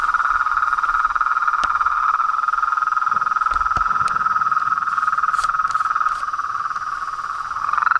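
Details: Frog and toad symphony at a pond in front of a house at dusk; a single steady, dense trill dominates throughout, with occasional faint clicks and small handling knocks.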